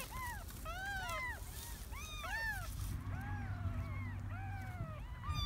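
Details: Kittens of a stray cat that had three young in a garden mew in thin, arching cries, several overlapping at once, fading somewhat in the second half beneath a steady low hum.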